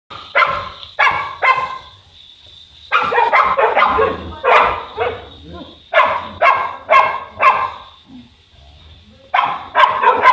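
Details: Boerboel, a South African Mastiff living in Egypt, one of the pair Enzo and Diva, giving deep, harmonic barks in quick bursts of two or three, separated by short pauses, with a steady faint hum underneath.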